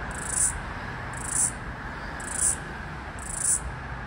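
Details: Floury baker cicada (Aleeta curvicosta), the last one heard in Australia's summer of 2022/2023, trying to sync its call with another cicada across a busy street: high, hissing buzzy bursts about once a second over low traffic rumble.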